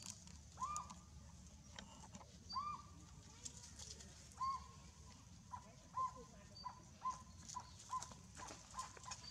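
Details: Baby monkey Miltan cries as its mother drags it along with its back rubbing the ground. Short mid-pitched cries rise and then hold level, repeating about every one to two seconds and growing briefer toward the end, over a steady outdoor hiss.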